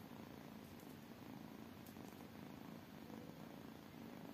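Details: Several tiny kittens purr contentedly, giving a soft, continuous low rumble with a gentle pulsing texture throughout.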